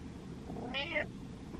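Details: Domestic cat meowing to demand its owner's attention: one short harmonic meow that rises then falls slightly, under a second long, over faint room hum.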